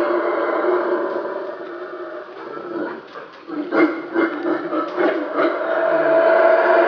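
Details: Two black howler monkey troops clashing at their territorial boundaries near the Caracol Mayan ruins in Belize rain forest; steady roaring chorus with pulsing, rhythmic bursts midway before building again.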